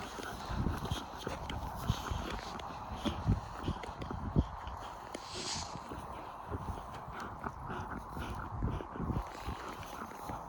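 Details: Pair of young wolfdogs squabbling in play over a rope toy, giving deep, uneven growls and grumbling noises with short louder peaks, over a steady background hiss and scuffling movement.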